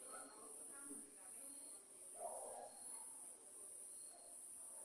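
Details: Night-time cricket chorus recorded while lightning flashed: continuous thin, high ringing trill pulsing gently about once a second, with a brief muffled voice-like sound in the middle.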